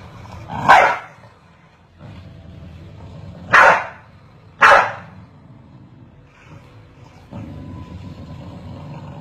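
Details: Corgis barking back and forth: three loud, abrupt barks, one alone and then two in quick succession about a second apart, over steady low background noise.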